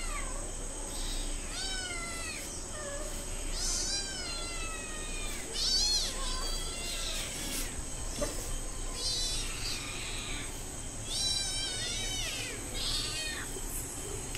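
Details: Hungry cat and kittens meowing loudly while waiting for food, fish with rice and milk to come; many overlapping high, downward-sliding meows repeat throughout, several callers at once, with a steady high electrical whine behind and a person speaking Bengali afterwards.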